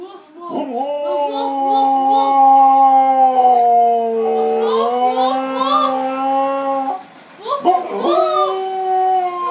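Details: A Siberian Husky 'talks' in long, wavering, howl-like tones, answering a 10-year-old boy who speaks to it.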